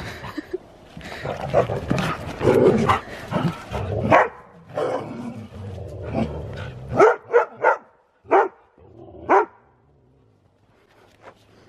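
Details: Siberian Husky doing zoomies in fresh snow, excitedly vocalising: several seconds of jumbled rustling and muffled yips, then five short sharp barks or yips spaced about half a second to a second apart before quiet.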